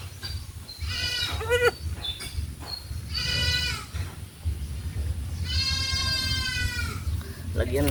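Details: Goats on a farm being dewormed with an oral suspension give wavering, nasal bleats, one long drawn-out cry near the end, over steady low rumbling noise and faint speech.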